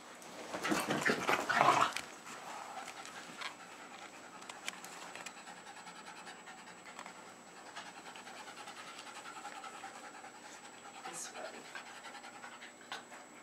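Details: Jasper, a Jack Russell Terrier just over three, panting with tongue out indoors in Lenexa, Johnson County, Kansas, late February 2011; a loud rustling burst first, then quick, fairly steady breathy pants, nearly four per second.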